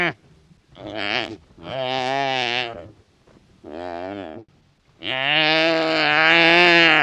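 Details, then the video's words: Wild wildebeest grunting and calling. A series of five nasal, buzzy calls of varying length comes with short pauses between them. The last call is the longest and loudest, held for about two seconds. "The Sound of Wildebeest 🐃 Wildebeest Vocalization"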